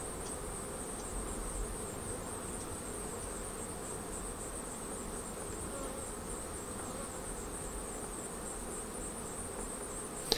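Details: Colony of honey bees humming at a Flow Hive while honey is drawn off frame by frame. A continuous, even drone with no breaks lasts the whole stretch, a faint click at the end, and a thin high whine persists over everything.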